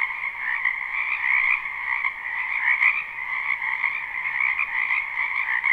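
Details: Many frogs croaking in a wetland behind a house in spring, live recording: a dense, continuous trilling chorus with two steady bands, one higher and one lower, swelling and fading slightly but never stopping.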